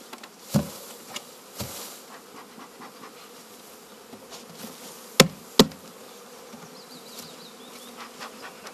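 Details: Honey bee swarm buzzing as a low, steady hum, broken by a few sharp knocks and clicks; the beekeeper plans to unite this swarm with another colony in the evening.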